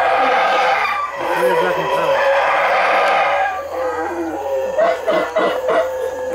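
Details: Loud, boisterous howler monkey calls high in the Belize treetops; rough, droning roars layered into a sustained chorus, then breaking into shorter pulsing grunts toward the end.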